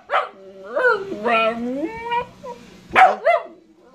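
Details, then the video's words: Pet dog producing a string of tonal, talking-style howls and yowls, several drawn-out wavering notes that slide in pitch, ending with two sharper, higher yelps; a person nearby prompts the dog to say good morning. "howling/barking compilation"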